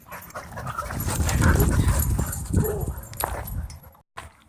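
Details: Playful growling from dogs at a dog park, a sustained low rough rumble swelling and fading with yips mixed in, people talking in the background.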